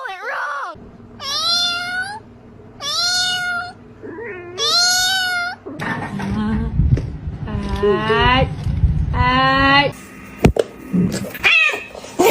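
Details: House cat meowing indoors: a quick series of bright, upward-curving meows, each under a second, then more meows mixed with rustling, clattering and human voices.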